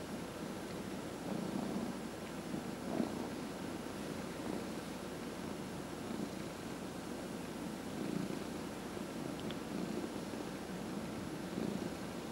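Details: Senior pet cat purring continuously while its head is massaged; a soft low rumble pulsing gently with breathing, fairly quiet against faint background hum and occasional light touch sounds.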